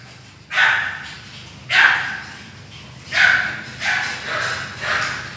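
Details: Pekingese dog barking at home, five short sharp barks spaced about a second apart, fairly loud and clear over a quiet background.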